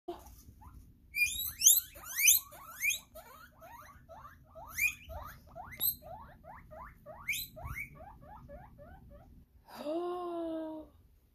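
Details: Several pet guinea pigs wheeking at the sound of the hay truck: a dense chorus of sharp, rising squeals sweeping high, repeated rapidly and overlapping for about nine seconds, followed by a lower drawn-out moan at the end.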